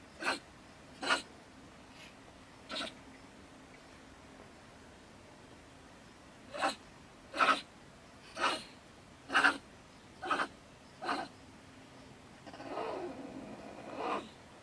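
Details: Female stone marten living in a woodpile beside a shed in Germany, raving in bad temper around 10 pm after a bicycle is put away: nine short, harsh, sneeze-like bursts at irregular gaps, then a longer rasping outburst in a quiet night.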